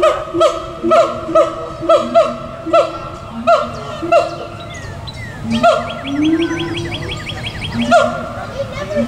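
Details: Siamangs at a zoo, at least two, on 2 April 2017 give loud, ringing whoops, each note swooping up and down in quick succession; their calls carry across the zoo.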